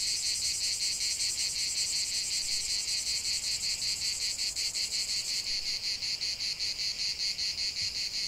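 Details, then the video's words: Chorus of cicadas in a natural setting, a loud unbroken rasping buzz with a fast regular pulse and shimmering high tones throughout. "45 min de chant des cigales"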